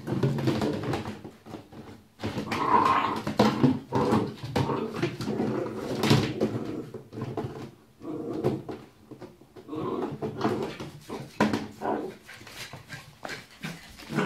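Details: A 5-month-old Cardigan Welsh Corgi growls in low, rumbling bursts while fighting with a bowl, which clatters as it is knocked about.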